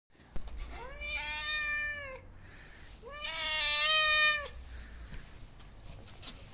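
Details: Hungry homeless cat meowing for attention: two long, drawn-out harmonic meows about a second and a half each, separated by a short pause, with a low background hum.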